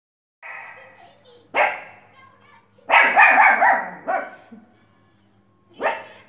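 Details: A Pomeranian dog barking while watching TV: sharp, yappy barks come in irregular bursts, including a rapid cluster near the middle, over a faint background hum and television sound.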